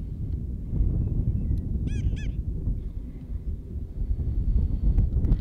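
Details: Prairie dog making noise in the wild: two quick, sharp chirps in rapid succession, each a bright harmonic-rich yelp, against heavy low wind rumble with faint clicks.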